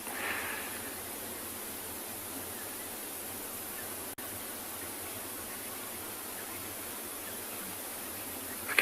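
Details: Constant outdoor hiss like distant rushing water, with a brief click partway through and no clear animal voice.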